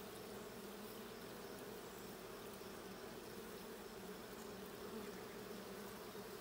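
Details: Steady buzzing drone of a honey bee colony in the blue hive, checked 6/20/22: a dense, even hum with strong low bands near 220 and 450, unbroken from start to finish with no other clear sounds.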